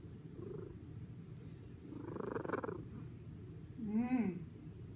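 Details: A low continuous purr from Spice, a fluffy female cat bathing herself, is joined briefly by a murmured voice midway, then closes with a short, clear rising-and-falling meow.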